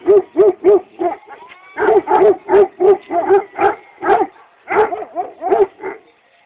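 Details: Kangal dogs in Çorum, Turkey, barking in a fast, steady series of deep, punchy barks, roughly three per second, with a brief pause near the middle and a faint high whine underneath.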